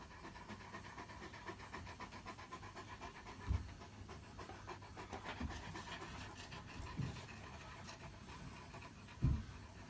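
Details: Great Pyrenees, a very large white dog, drooling and panting right after returning from a walk on a hot morning; steady, rapid breathy panting with a few louder low thumps.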